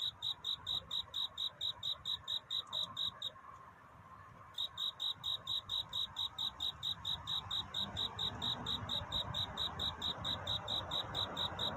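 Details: Courting cricket at night: rapid, regular high chirps, about two per second, break off briefly for a second of quiet, then resume under a rising soft hiss.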